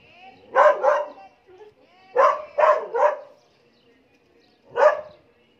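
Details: Black Belgian Malinois showing aggression, giving deep, forceful barks in bursts of two or three, separated by short quiet gaps.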